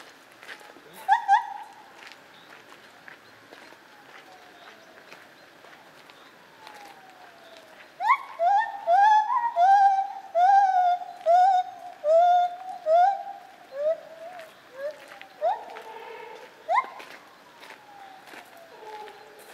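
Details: White-handed or lar gibbon recorded at Zoo Opole in 2015: an early pair of hoots, then a quick accelerating series of ringing, rising-falling whoops about once per second, ending in lower, quavering notes and scattered clicks.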